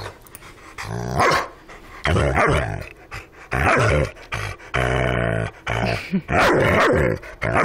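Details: An ornery Rottweiler growls in low, throaty rumbles, with several louder, harsher outbursts rising toward barks, in irregular bouts separated by brief quiet gaps.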